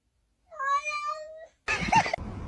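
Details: Kitten meowing and crying: one steady, drawn-out harmonic meow lasting about a second, followed by a loud burst of human screaming and noise.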